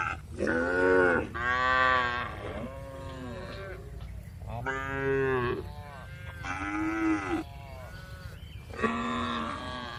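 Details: Cows in a large livestock barn call one after another, loud harmonic moos of about a second each, rising and falling, roughly six in ten seconds, over a constant low hum.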